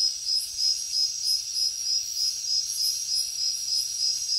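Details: Crickets chirping at night in the jungle: a steady, high, shrill trill pulsing in regular bursts of about three per second, with faint higher insect buzzes over it and no other sounds.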